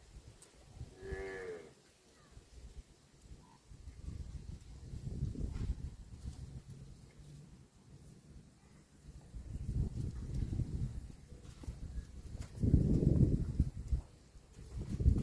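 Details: Tame cow crossing a muddy rice field gives a single brief, tonal moo with stacked harmonics early on, followed by long stretches of low squelching and rumbling noise from walking through mud.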